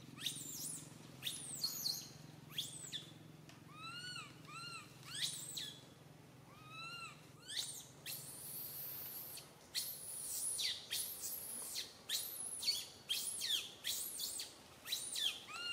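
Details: Little monkey Santo crying loudly on a tree branch while mother Sara cannot care for him; arched, harmonic wailing cries alternate with shrill, high screeching bursts, repeated every second or so, with a low steady hum underneath.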